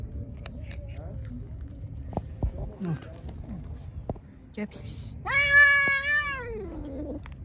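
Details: Angry, hungry pregnant street cat given food: scattered small noises, then one loud, sustained meow that holds steady and drops in pitch at the end.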